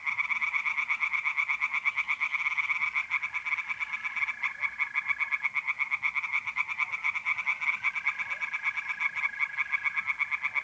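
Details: Mid-April night at a pond in north-east Italy, tree frogs singing in a steady, fast pulsing chorus throughout, with mole crickets trilling in long even bursts behind them.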